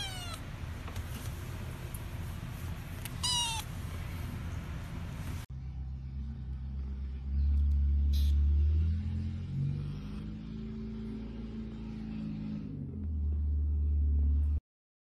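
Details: Kittens meowing: two high, thin meows sweeping downward within the first few seconds, then a long stretch of low rumbling background noise with no clear calls.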